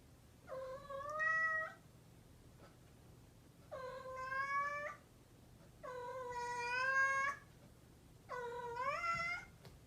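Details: Mischievous domestic cat giving four drawn-out, harmonic-rich meows of about a second each, spaced roughly two seconds apart, some ending with a slight upward lift, over a faint steady low hum.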